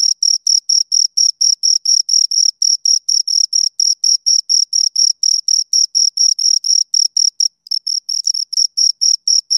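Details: Crickets, two of them, stridulating in brisk bursts of shrill pulses, roughly two per second, with a brief gap near the end before the chirping resumes.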